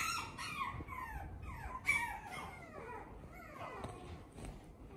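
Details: Male toy poodle of normal size with bright eyes; soft, high whimpering squeaks with bending, descending whistly sweeps in quick succession across five seconds, fairly quiet over faint room noise.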